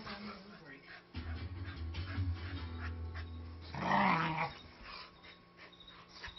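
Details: Snoopy, a 5-year-old Manchester Terrier mix, growls during harmless rough-housing play with Jude, a 3-month-old husky lab mix puppy. A steady low rumbling growl runs for a few seconds, then a sharper vocal burst, with a person talking in the background.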